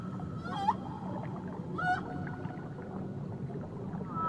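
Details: Whale singing off Tahiti: two short upswept tonal cries rich in harmonics, about a second apart, with faint steady hums between them, all over a low underwater rumble.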